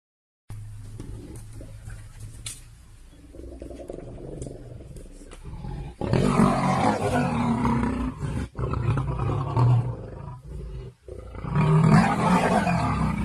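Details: Lions (Panthera leo) fighting at Nambiti game reserve, South Africa, give deep, rumbling roars and snarls in bursts, aggression during the fight.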